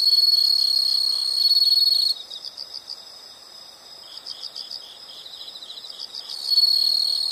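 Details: A shrill, continuous insect trill sounds for two seconds and cuts off. Bursts of quick, pulsed high chirps follow, then the loud steady trill returns near the end.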